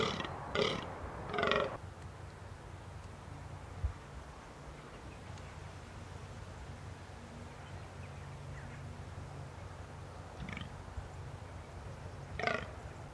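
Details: A fallow buck in Britain, vocal during the autumn rut (September, peaking mid-October), gives short, coarse, belch-like groans in separated bursts over a quiet background.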